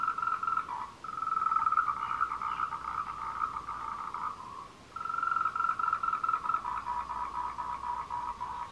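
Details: Tree frogs give long, pulsing trills around one kilohertz in an overlapping courtship chorus, recorded 26 April 2018 on the Meiling Wulong trail, Nanxi, Tainan, Taiwan.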